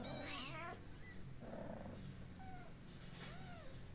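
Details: Outdoor family of rescued cats, a kitten cuddling its mother; one loud harmonic meow at the start, followed by several faint, short arched mews against constant low background rumble.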